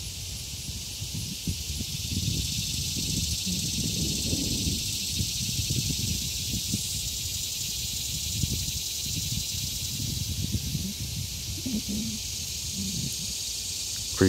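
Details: Common annual cicadas droning in summer near a momentarily quiet road, recorded on a camera microphone; a steady high-pitched whine persists for the whole stretch, partly masked by louder rustling and handling noise below.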